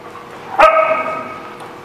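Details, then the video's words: Dog at a dog lot on 6/10/16, giving a single loud bark with a sharp onset and a sustained harmonic tail lasting about half a second, above steady low background noise. "The Barking Lot"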